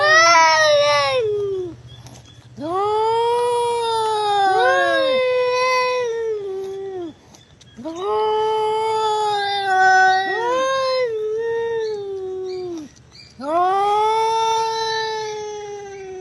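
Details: Crying cat giving long, drawn-out, strongly harmonic meows, each rising then sagging and trailing off, about four wails in sixteen seconds with short gaps between.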